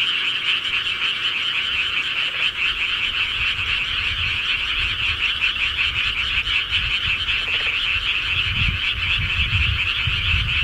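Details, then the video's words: Night-time countryside frogs in a thick chorus of rapid rattling croaks, steady throughout, while deep rumbling bursts rise in the background toward the end. "시골개구리 소리"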